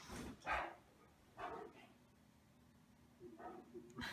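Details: Two Great Danes playing and duelling on a bed indoors; a few short, sharp yelping barks come at about half a second, one and a half and three and a half seconds, with quiet room noise between.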